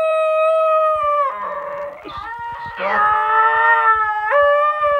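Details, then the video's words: A female basenji sings along to a recording of her own yodel, in long, rich tones that break sharply between pitches, rising and falling in warbling waves. "Willow basenji singing to her own yodel"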